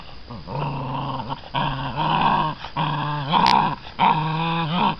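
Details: Six-week-old American Bandog Mastiff puppies growl while tugging a chicken on a string during a prey drive test; harmonic growls in long bursts with short gaps, several per five seconds, indoors.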